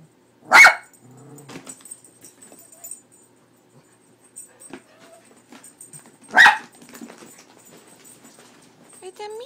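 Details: Leo, a pet dog frightened by the cat picture printed on a cat food bag, lets out two single loud barks about six seconds apart, with soft human talk and small household noises in the gaps.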